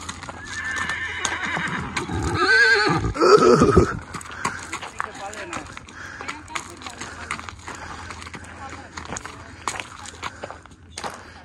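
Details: Young stallion exploring a horse club for the first time, curious and watching other horses; one loud, quavering whinny lasting about two seconds early on, followed by people talking and laughing, with scattered clicks and knocks.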